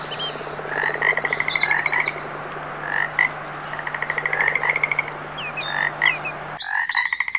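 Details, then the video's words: Several frogs give fast pulsed trills and short croaks in a busy chorus, with bird chirps and whistles above and a low hum throughout; the background changes abruptly near the end. "Magical Frog Sounds"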